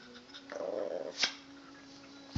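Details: Pet puppy indoors gives a short, steady whining tone lasting about half a second, followed by a sharp click and a low thump in a quiet small room.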